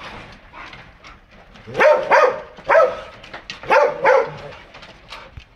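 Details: Dogs of foreign breeds kept together in a house: loud, sharp barks in quick pairs, about six barks in three bursts, with quieter yapping between them.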